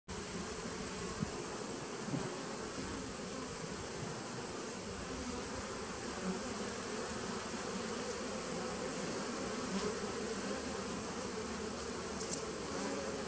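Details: Steady, dense hum of honey bees from a nuc colony recorded 19 September 2018, a continuous low drone with a thin high tone above and occasional faint clicks.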